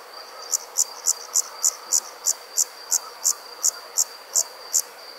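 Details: Crickets at night: a steady series of short, high, pulsed chirps, about three each second, evenly spaced over a soft background hiss.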